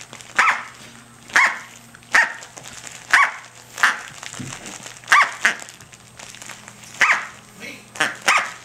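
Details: Tic-tac, a female Corgi puppy of six to seven weeks, barks at her toy duck in play: single bright, shrill yaps spaced roughly a second apart, with a little human chatter underneath.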